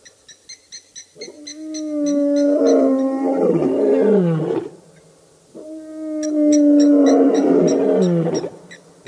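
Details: Birmingham Boys coalition lions roaring at the dam, Djuma Game Reserve, Sabi Sand, Kruger Park, South Africa, August 2016: two long, loud moaning roars, each swelling then fading over about three seconds, with a faint ticking sound before the first.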